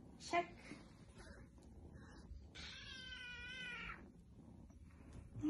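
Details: Foster kitten indoors during a belly check; one long, steady, harmonic meow of about a second and a half mid-clip, with a woman speaking and brief handling noises.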